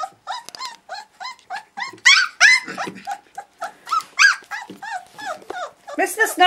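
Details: Puppies of a litter born August 2013 vocalising in their first play and noise session indoors: overlapping high whining yelps and squeals from several pups, some rough growly bursts mixed in, continuous and busy throughout.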